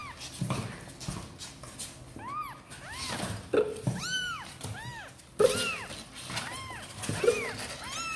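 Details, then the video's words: Kittens Sor and Kapov, apparently wanting to come out and play, give many overlapping high arched meows, several callers at once, with knocks and thumps indoors. "Sor and Kapov kittens update - Looks like they really want to come out and play"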